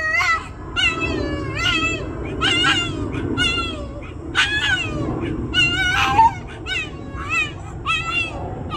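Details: A vocal pet Boston terrier 'singing' with a rapid run of short, rising yelps and whines, roughly one to two per second, some wavering, over steady low background noise.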